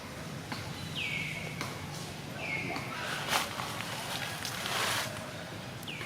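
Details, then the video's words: Newborn baby monkey crying on the ground as it waits for its mother to come and comfort it. Thin, plaintive cries slide sharply down and then level off. Two come close together and a third follows after a pause, over rustling and footsteps. "little monkey lies crying on the ground, waiting for its mother to pick it up and comfort it"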